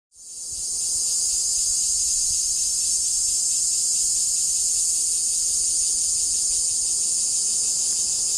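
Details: A dense, unbroken insect chorus in vegetation in Taiwan rings out as a high, hissing shimmer with a fine rapid pulse.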